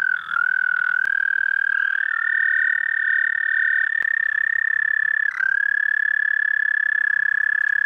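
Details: Singing toad at night, 30 May 2014 at 11:13 p.m. CDT. The high, buzzy trill wobbles and steps up in pitch early on, then holds level, with one brief dip before continuing steadily.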